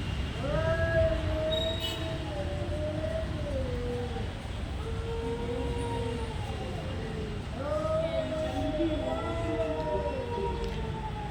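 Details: Cats in a fight trade long, rising-and-falling harmonic yowls in overlapping bursts, each wavering moan lasting several seconds, with steady low rumble underneath.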